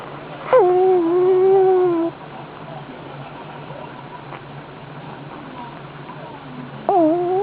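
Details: Sleeping pug giving a high-pitched whistling snore or breath, a long thin tone that dips then holds steady for about a second and a half, and a second rising whistle starts near the end; quiet hum underneath.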